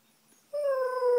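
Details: Male Alaskan Malamute answering a neighbouring female dog's morning whining through an open window; a brief, clear, sustained tonal howl begins after half a second of quiet and holds a steady, slightly falling pitch.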